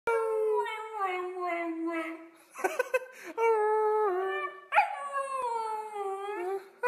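A husky howls in long, wavering tones that slide down and then rise again.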